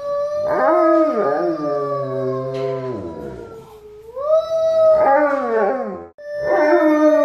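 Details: Alaskan Malamute joining its family in a sung choir: a wavering howl, a gliding rising tone, then short repeated howl bursts overlapping lower singing voices.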